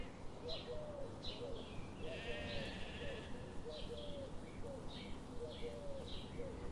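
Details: Sheep grazing in a forest on a sunny morning give repeated mid-pitched bleats, roughly every second, over a steady background hiss, with faint higher chirps mixed in.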